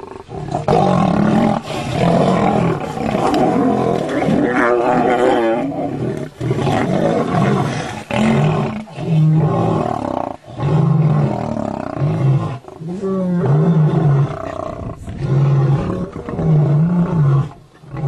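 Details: Lions in a fight: loud, harsh snarling roars burst out again and again, each a few seconds long with short gaps, deep and rough with wavering tones, over a murmur of excited human voices.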